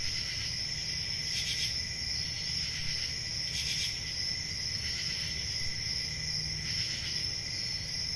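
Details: Night crickets of a rural summer, their unbroken high-pitched ringing trill layered with a lower steady tone, while rhythmic bursts of sharper chirping recur about every second or so; a soft low hum underneath.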